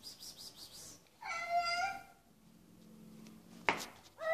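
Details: Short harmonic cat call lasting under a second. It is followed by a sharp click and the start of another brief cry, against a low background murmur.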